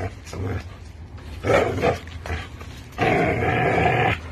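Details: American bully and pit bull playing tug with a toy, growling in rough broadband bursts that end in a longer, sustained, throaty rumble, with faint human voice in the background.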